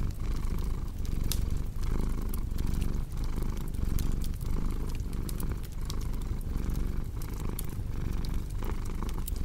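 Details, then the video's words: Rumbling purr of a cat, rhythmic inhale and exhale cycles roughly every second, with frequent bright pops and crackles of burning wood from a fireplace, made for ASMR relaxation and sleep. "Purring Cat with Cozy Crackling Fireplace Sound"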